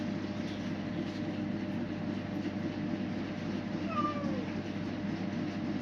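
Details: Street kittens coming for food as they are fed: a single kitten meow, bending upward then sliding down with clear overtones near the middle, set against a constant low engine-like hum throughout.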